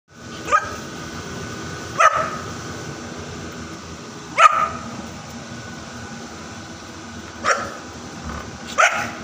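A Bullmastiff puppy gives single sharp barks, spaced irregularly a second or more apart.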